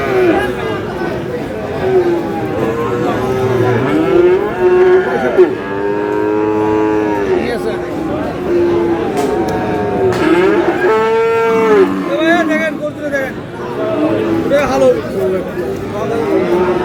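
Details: Friesian and crossbred bull calves at a busy Dinajpur market, Aftabganj, 22 July: a series of long, harmonic moos, several calves calling in turn, with steady background chatter and occasional vehicle noise.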